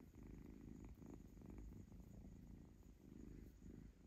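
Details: Purring of little kitten Zlata as she is stroked, grabbing at fingers in play; dense low buzzing purr swelling rhythmically about twice per second.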